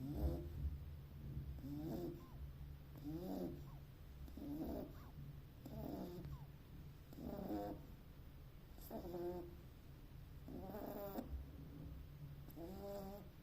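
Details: Sleeping Beagle puppy snoring: rough, throaty snores with a faint nasal whistle, about seven breaths in a loose rhythm, one every two seconds or so, over a low steady indoor hum.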